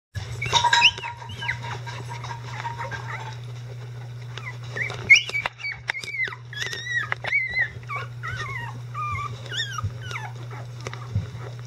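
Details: Eleven-day-old Icelandic Sheepdog puppies, now mobile and vocal, with adult dogs helping clean them up: high, wavering whimpers and squeals, some rising then falling, come in clusters over a steady low electrical hum.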